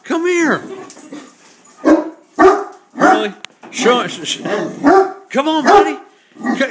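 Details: Hurley, a Great Dane attacking a beer keg, mixes deep barks with arching, whining yelps in a rapid, excited stream, rising and falling in pitch, a man's voice faint beneath.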